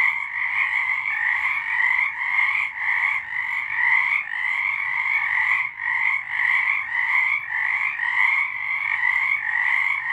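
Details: A nighttime chorus of frogs in March 2023, rapid pulsed trills layered into a continuous shimmering drone with rhythmic swells roughly every second.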